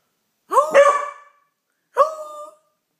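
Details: Beagle Pauly, who has learnt to howl at the neighbours, gives two clear tonal howls, the first wavering and nearly a second long, the second shorter and steadier, with silence between.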